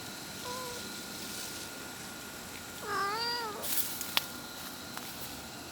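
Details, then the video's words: A mother cat calls out searching for her kittens: a faint short mew, then one louder drawn-out meow that bends down and back up, followed by a few clicks and knocks over steady hum. "suara ibu kucing memanggil anaknya - the mother cat called looking for her kittens"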